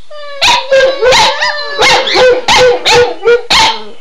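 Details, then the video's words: Two pet dogs get wildly excited and howl whenever their owner says "Run Guy run"; steady mid-pitched howls with wavering pitch, broken by frequent sharp barks and yips in quick succession. "Howling Dogs II"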